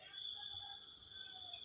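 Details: Crickets buzzing on a wet morning at a flood-prone banana plantation: a dense, continuous high-pitched trill, slightly wavering, over a quiet low background.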